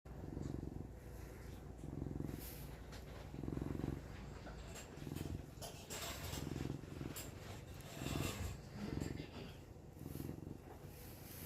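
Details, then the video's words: Pet cat purring while another animal snores nearby, possibly while camping; low rumbling pulses swell and fade about every second, with rustling and faint clicks above. "Samson purring"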